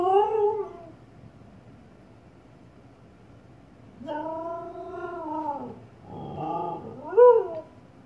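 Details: Female Siberian Husky reacting to her reflection in a fireplace indoors: a short wavering whine, a pause of several seconds, then a longer moaning howl and two brief rising yelps, with quiet room noise between.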